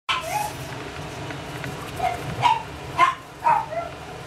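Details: Pomeranian puppy dreaming in its sleep: soft, short whimpering yips arrive in a loose series about every half second in the second half, over a steady low hum.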